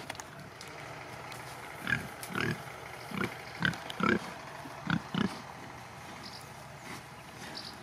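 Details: Domestic pigs of the Sattelschwein or Bentheimer Landschwein breed on a farm, giving short low grunts in an irregular series of about eight, some paired, over a steady rural background hum.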